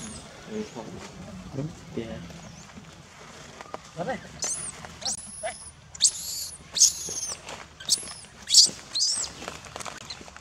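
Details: After low human voices, a wild baby monkey at Angkor Wat, Cambodia, refused milk and clinging to its mother's back, bursts into a rapid run of shrill, high screeching squeals, several per second in the second half.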